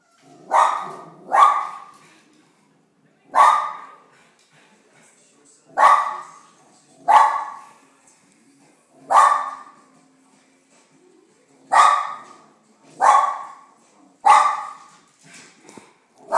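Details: Daisy, a West Highland White Terrier, barking at another dog named Weego to make it leave; loud single barks, often in pairs, spaced one to two seconds apart, eleven in all, with quiet gaps between.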